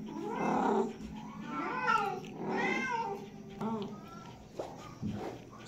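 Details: Domestic cat giving a run of rough, nasal meows, with rising-falling wails around the first three seconds, then shorter, fainter cries and soft low throaty sounds beneath, in a small indoor space.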